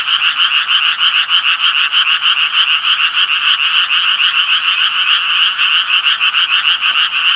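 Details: Loud tree frog chorus with quick, regular raspy croaks, about three pulses a second, over a constant buzzing backdrop of many overlapping callers.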